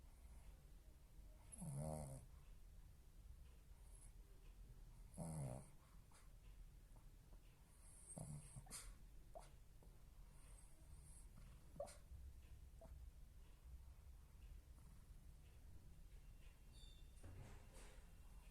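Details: Shih Tzu napping, snoring loudly in deep, rasping bursts with quieter breathing between them.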